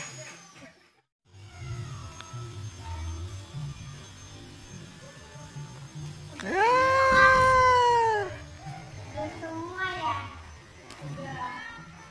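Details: Mother cat moving her young kittens gives one loud, drawn-out meow that rises then falls over nearly two seconds, followed by a few softer, shorter wavering mews; low murmuring background and a faint steady high tone throughout.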